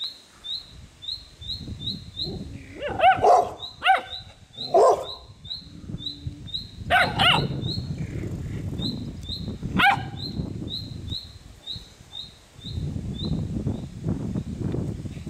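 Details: A two-month-old Polish Tatra Sheepdog puppy gives a few sharp, high puppy barks over steady high-pitched chirping.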